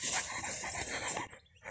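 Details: Belgian Malinois shepherd dog at work, panting hard: rapid, breathy, noisy puffs repeated several times a second for over a second, then a brief pause and another puff.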